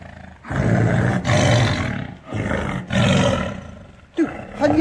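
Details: Caged tiger roaring with anger: four rough, loud roar bursts in quick succession, each under a second long, with people talking faintly near the end.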